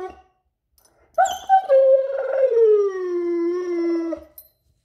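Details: Excited male German Shepherd pet sings for his owner at the back-garden door, eager to play outside: one long, rich howl lasting about three seconds, starting higher and gliding smoothly down to a steady low tone before stopping.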